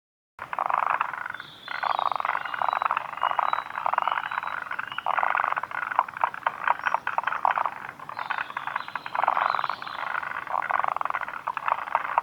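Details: Forest green tree frogs (Moriao frog) calling at Kawaguchiko Field Center, Japan, on 2 June 2019: a dense chorus of rattling, pulsed croaks in bursts lasting about a second, overlapping continuously, with occasional higher chirps above.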